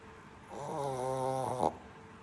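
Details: Shih Tzu puppy snoring while asleep indoors: a single rasping, harmonic-rich breath of about one second, swelling then ending with a brief louder snort, over a quiet room background.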